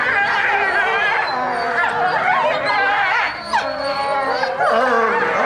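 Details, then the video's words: European wolves howling together as a group at Tama Zoological Park, Japan; several overlapping wavering howls with rising and falling tones, dense chorus throughout, some yipping inflections. "A group of wolves howling.ヨーロッパオオカミの群れの遠吠え。"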